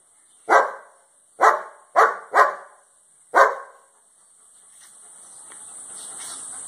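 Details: Five loud, gruff barks, two of them doubled close together, from a German Shepherd guard dog in Cambodia, one of two household dogs; the barking stops after about three seconds and a rising hiss follows.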